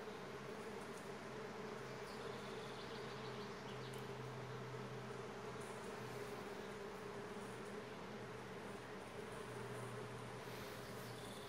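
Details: Bees crowding in and pushing inside ahead of an approaching storm: a steady, dense hum with a low droning tone throughout, mixed with broad rushing noise that stays even for the whole stretch.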